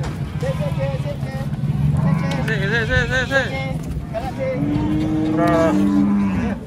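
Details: Several wavering, low moos from cattle unloading off a truck at a market, heard through a steady low engine hum and people talking nearby.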